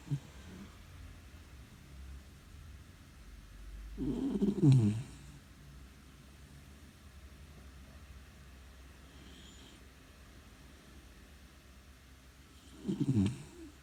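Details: Four-month-old brown Labrador puppy asleep and snoring loud, with two deep, gravelly snore bursts about nine seconds apart, each rumbling for under a second, separated by quiet breathing and a low background hum.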